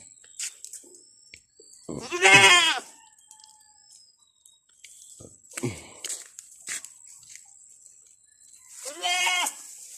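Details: Domestic buck goat, described as very angry, among raised goats: three loud harmonic bleats, each wavering and about half a second long, near two, six and nine seconds apart, with faint clicks and a steady high hiss between.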